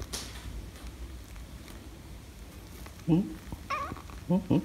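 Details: Rescued former stray kitten meeting a tabby cat for the first time in a home; after quiet hum, three wavering meows sound close together near the end, over low room noise.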